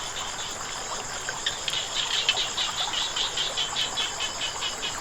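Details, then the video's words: Frogs calling beside flowing water: a quick run of short, bright, clicking pulses, about two or three per second, through the middle of the clip, over a steady high whine and a soft background rush. "เสียงน้ำไหล กบเขียดร้อง"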